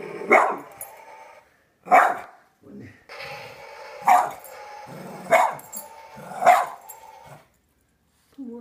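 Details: A pet dog barking at small zombie figures, giving five loud, rough barks spaced about one to one and a half seconds apart, with muffled background sounds between them.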